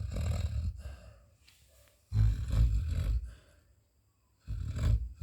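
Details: Labrador Retriever, a pet female, snoring in her sleep; deep, growly rumbling snores come in three heavy bursts separated by near-silent gaps of one to two seconds.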